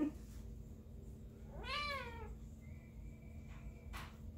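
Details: Rescue kitten at a Seal Beach, California shelter, adopted along with its sibling, giving a single drawn-out meow that swells and bends downward mid-clip, with steady low background hum and a brief quiet tone afterward.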